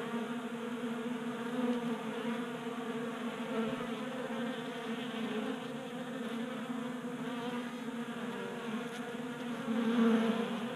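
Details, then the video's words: Honey bees feeding at a 3D printed table-top feeder in a garage in Colorado on a warm January day: a steady droning hum of many wings with layered harmonic bands, rising briefly louder near the end. "45 Minutes of Honey Bees Feasting from 3D Printed Bee Feeder"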